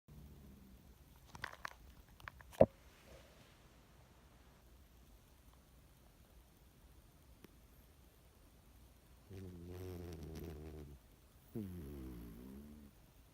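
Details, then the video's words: Sleeping pet cat snoring indoors: two drawn-out, rasping, low droning snores in the last few seconds, each lasting over a second, after a quiet stretch broken by a few sharp clicks and a thump near the start. "cat snoring"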